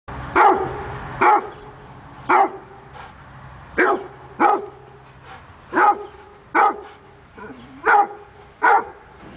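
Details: Basset hound, described as a hunting dog par excellence that barks more than a rottweiler, giving about nine loud, deep barks spaced roughly one second apart, each a short harmonic burst with quiet gaps between.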